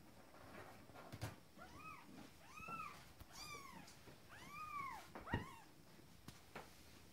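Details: First litter of 20-day-old Abyssinian kittens roaming outside the nest indoors: a series of short arched mews, each rising then falling, about one a second, with soft bumps and rustling between.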